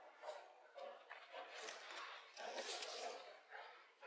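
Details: Dogs: puppies Strelka and Belka pestering their mother Gerda, 29 February 2024; short muffled barks and whimpering yelps in irregular bursts, with broadband scuffling between calls.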